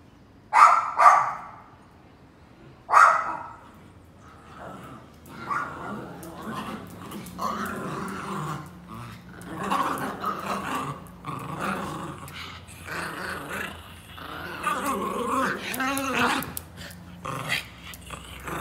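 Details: Pet Pinscher dogs at home give three sharp, high barks in the first few seconds, the last one after a short pause, then a long stretch of rough growling and muffled yapping.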